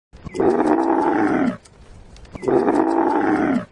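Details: Camel giving two long, harsh, roaring groans, each about a second and a quarter, separated by a short pause, with rich low-to-mid tones throughout.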